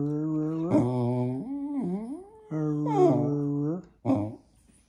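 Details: Jack Russell Terrier indoors "talking" to its owners, as if it has something to tell them: long, wavering, harmonic moans that rise and dip in pitch, three drawn-out phrases with a short yelp-like ending in a small room.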